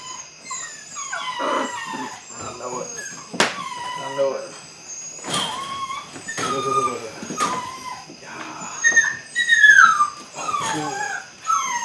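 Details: Eight-week-old Belgian Malinois puppies of the Android Whiteline Czech x Mason's AnnieLou litter at early bite work, giving high wavering whines and squeals in bursts over nearly twelve seconds, mixed with human speech and sharp clicks.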